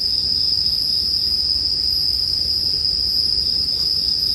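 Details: Continuous high-pitched ringing of bell crickets, paired with bonfire sounds for sleep, runs evenly from start to finish with only a faint crackle near the end.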